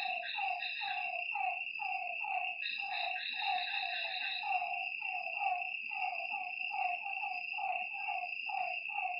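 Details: Frogs at a lake at night, a dense run of quick downward-gliding croaks from several animals, with a steady high insect buzz and occasional shimmering higher trills.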